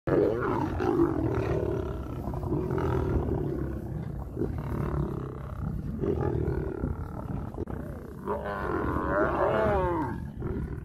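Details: Male lion approaching a female lion to mate, wild animals: loud, rough low growling in long bursts with pauses, ending in a strained, wavering snarl with rising and falling harmonics.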